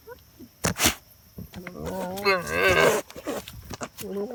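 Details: A goat named Moona Ruth voices her opinion with a loud, quavering bleat that wobbles in pitch, with a few sharp knocks before it.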